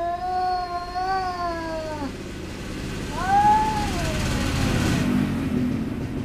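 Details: Cats in a fight, a pair that keeps quarreling: a steady, drawn-out moaning yowl for two seconds, then after a pause a shorter rising-and-falling wail, over low background rumble.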